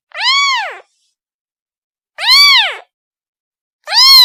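A kitten calls for its mother with three high, thin meows, each rising and falling in a smooth arch. The cries come roughly every two seconds with silence between them.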